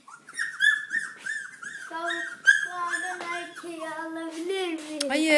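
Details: Labrador Retriever puppies, born 18 February 2013, indoors with their nursing mother; a run of high, arching whines and squeals, repeated in quick succession over a few seconds, some overlapping a lower, steadier whining tone.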